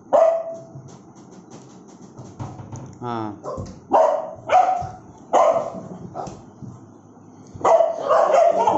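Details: Bullmastiff barking aggressively: after a brief murmur, deep rough barks arrive singly and in short pairs at irregular intervals, with quiet gaps between the bursts.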